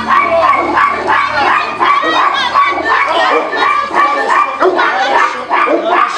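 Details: Tibetan Mastiff at the Nasledie Tibeta kennel in Russia, untrained for protection, confronting an unfamiliar stranger during a working-qualities test: rapid, irregular, deep barking, about three per second, over handlers' voices calling out commands.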